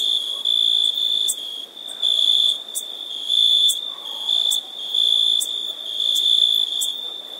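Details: Crickets chirping on summer nights: a steady, high, ringing trill held at one pitch, swelling into louder pulses about once a second, with faint higher buzzy bursts on top and soft background hiss.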